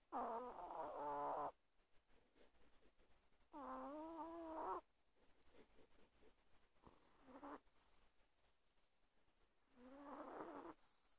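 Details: Tiny 1.2 kg chihuahua asleep beneath a blanket next to its owner at night, snoring loud; long rough nasal breaths over a second long, wavering in pitch, recurring about every three seconds with quiet gaps between.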